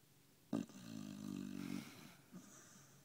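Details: Dog snoring while asleep after a hard day of walking and eating: a sharp snort followed by a long rasping, rumbling breath, then a softer short snuffle in a quiet room.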